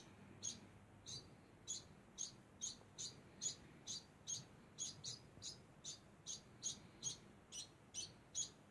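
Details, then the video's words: Constant high chirping from a degu: brief, thin squeaks repeated about every half second in a steady rhythm, fairly quiet, against a faint hiss. "Degu makes constant sound"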